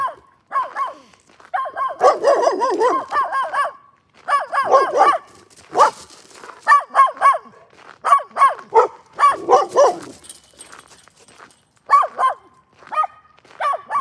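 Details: A dog barking in rapid, sharp bursts, clusters of high, yappy barks at roughly three or four per second, broken by short pauses, with a few whiny, yelping notes mixed in.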